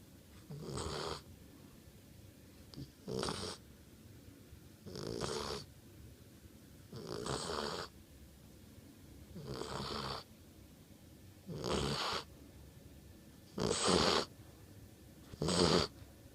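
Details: American Bulldog asleep and snoring: rough, breathy broadband snores come steadily about every two seconds, each a short rasping swell, over a quiet background hiss.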